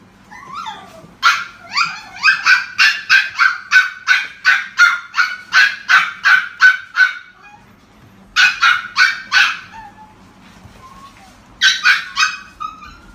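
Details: Miniature Dachshund (Canis familiaris), a black-and-cream male puppy born 25 February 2017, yaps in quick, high, sharp yips, about three a second.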